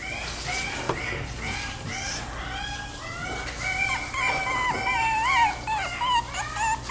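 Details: Chiweenie whimpering steadily: thin, wavering, nasal whines repeated about three times a second, several sliding upward and then bending down, growing more insistent toward the end.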